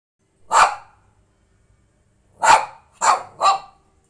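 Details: A Lhasa Apso gives sharp, bright barks, one, a pause, then three in quick succession, because she wants to go out for a walk.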